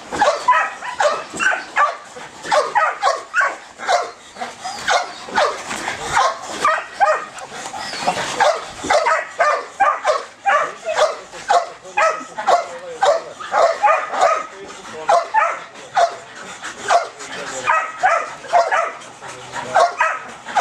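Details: Belgian Malinois in high ball drive barking relentlessly for about twenty seconds, dense repeated sharp barks with occasional higher yelping notes, a near-unbroken stream of frantic barking.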